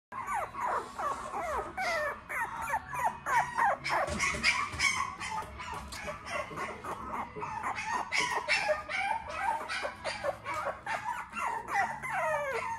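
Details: Tiny Poodles produce a dense, overlapping stream of high, squeaky whimpers and short yips. The sounds come several times a second without a steady rhythm and rise and fall in quick slurred notes.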